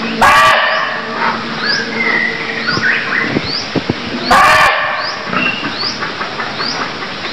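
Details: Barking deer in Cambodia: two loud, harsh, harmonic calls about four seconds apart, each short and falling slightly, over a steady background of high rising chirps repeating every half second and scattered clicks.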